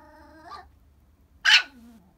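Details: Crying Chihuahua: a soft, thin whimper swells briefly, then a loud, sharp yelp slides down into a low, drawn-out whine.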